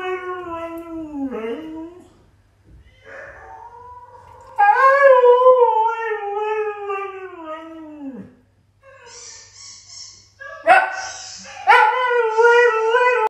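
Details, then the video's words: A husky howling in long, wavering tones that rise and slide down, one sustained howl of several seconds ending in a drop, followed by shorter yelping howls and a human voice. "Husky Smokes: Howling Opera"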